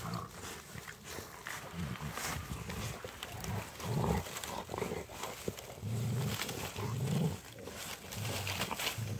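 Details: On a snowy winter walk, three Rottweiler dogs tussle over a stick, giving deep, throaty growls in repeated bursts lasting about a second each. Scuffling and crunching fill the gaps between them.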